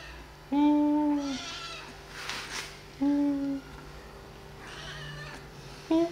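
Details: Kittens at play and feeding time: two drawn-out, steady, strongly harmonic meows about two seconds apart, then a clipped third at the end, with soft rustling between them.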